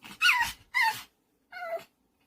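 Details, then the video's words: Pet dog Ggomong making a strange noise to demand treats quickly: two high, wavering yelping whines in close succession, then after a pause one shorter, clearly pitched whine; no other sounds. "간식 빨리 달라고 이상한 소리내는 강아지"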